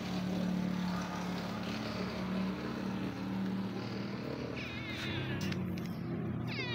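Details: Hungry stray cat living on the street meows for food, several short rising-and-falling meows late in the stretch, half buried under constant low-pitched engine hum and city background noise.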